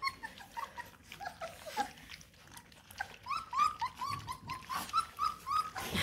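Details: Bluetick Coonhound puppies, eight in the litter, at feeding time: scattered high whimpers and yelps, growing into a steady series of short rising whines in the second half, with shuffling and eating noises.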